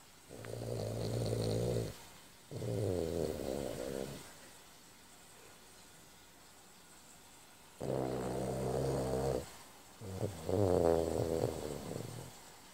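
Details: French Bulldog snoring in deep sleep indoors: four long, rough, harmonic-rich snores of about one and a half seconds each, paired in two groups with a quiet gap of several seconds between pairs, low buzzing rattle throughout.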